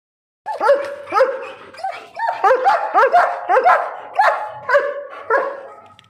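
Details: Alsatian dog shown with a fierce attitude, giving a steady run of about a dozen loud, harmonic barks, each sharply rising then falling, spaced roughly half a second apart, with no other clear sounds.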